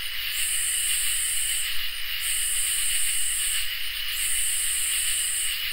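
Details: Summer night insects, crickets and katydids, in chorus: an unchanging shrill cricket trill beneath three long, hissing katydid buzzes, each roughly a second and a half, with short gaps between.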